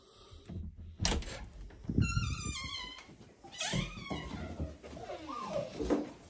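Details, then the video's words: Chihuahua greeting its owner indoors: high, wavering whines and squeaky rising-falling cries with harmonic bands, interspersed with thumps and rustles in a small room. "Chi Chi Chihuahua greeting me"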